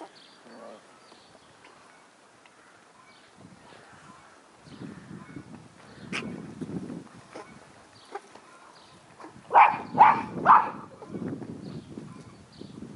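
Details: Australian Terrier puppies from the Yakogor kennel, filmed 9 April 2015; after soft shuffling and rustling, three sharp high yelps ring out close together near the end, followed by lower scuffling.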